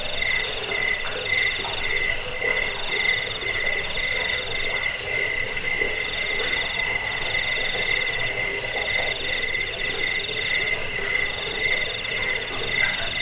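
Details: Cricket chirping for keeping rats away and teaching birds: rapid high-pitched pulses, about four per second, forming an almost continuous ringing trill over a droning insect chorus.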